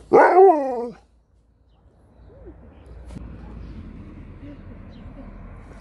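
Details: A Husky and a Malamute competing for a treat. One loud, drawn-out, harmonic, woo-like vocalization lasting about a second, first rising and then sliding down, followed by quiet room hum and faint background sounds.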